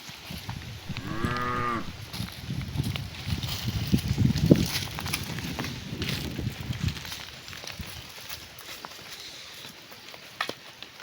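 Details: Cows heading home to their barn in the afternoon, one calling to its companions: a brief, bright, harmonic moo near the start, then low rumbling, thudding hoof and shuffling sounds over steady outdoor noise.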